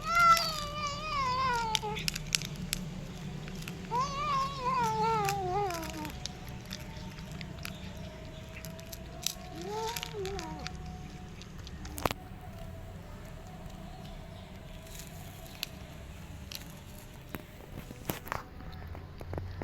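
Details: Starving stray cat eating cat food, uttering funny warbling, quavering moans in two long falling bouts, then a brief rising-falling call near ten seconds, followed by quieter stretches with scattered sharp clicks and ticks.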